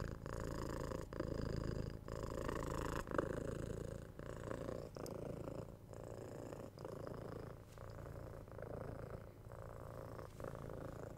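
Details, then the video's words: Pet house cat purring close to the microphone, a deep continuous throaty rumble broken into breath phases about once a second, with faint airy hiss above and no other sounds. "Cute Cat Purring"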